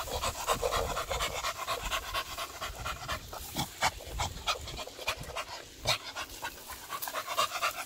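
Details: Rapid, rhythmic huffing from a beagle out on its morning walk, each breath a short rasping burst, with rustling in the background.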